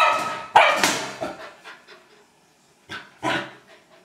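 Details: Old English Sheepdog at play with a trash can, giving a few loud, rough barks, the first pair close together, then a silent gap and two more barks near the end.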